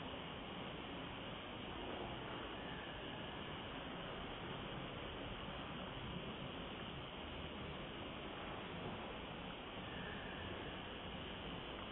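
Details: Dense, even broadband noise cut off sharply above the mid range, like wind or rushing air, with no animal call audible.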